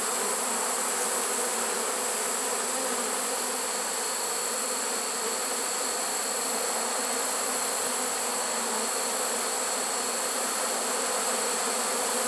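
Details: Honey bee swarm caught in a swarm trap late in the season, September 1, 2019: a steady, dense hum with low droning bands and a bright, hissing upper layer, unbroken for the whole stretch.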